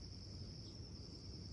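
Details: A northern dusk singing cicada that fell out of a tree, handled up close, gives a steady, high, shrill buzzing drone over low wind rumble.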